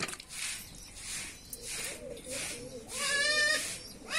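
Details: A goat bleats once, short and tremulous, near the end, during village-style hand milking; repeated swishing milk squirts sound before and around it.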